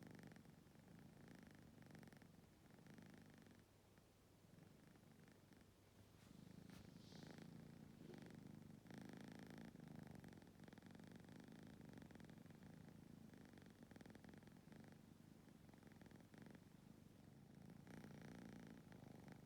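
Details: Several stray cats, a family sleeping close together in a tight spot, one tabby startled by a sneeze, a calico growing drowsy; steady low rumbling purr throughout, with brief soft rustles and a sharper noise near the middle.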